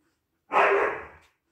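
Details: Siberian Husky puppy indoors giving a single loud, harsh bark that starts abruptly and trails off over less than a second, with a quiet room behind it.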